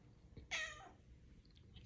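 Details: Female pet cat indoors, meowing relentlessly to demand a ride on her owner; one loud, clear, harmonic meow lasting under half a second, held briefly then tapering off, with a faint click before it and a quiet room after.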